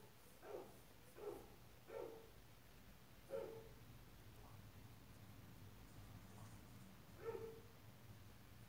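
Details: White-eared opossum litter from Mococa and Pitangueiras: five short, mid-pitched tonal calls with harmonic overtones, each under half a second, spaced irregularly over about nine seconds, over a faint steady low hum.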